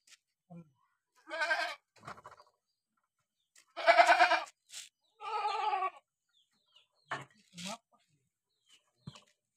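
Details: Ill Boer cross goat with a runny nose bleating three times in rough, harmonic bursts, the middle one loudest. Scattered clicks and brief voices fill the gaps between calls.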